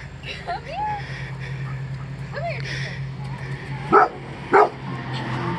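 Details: A Golden Retriever, terrified of a deer bow target, gives a few soft whines, then two sharp, loud barks.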